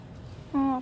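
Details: Rangrang, a stray cat that was regularly fed, came back injured in November 2018. It gives one short, steady meow of about a third of a second with clear harmonics over a quiet background.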